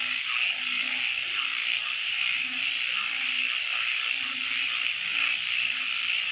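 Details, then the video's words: Frogs calling at night: a dense, steady high-pitched trilling chorus fills the background, with soft low croaks repeating roughly every second beneath it. "Nighttime Frog Symphony"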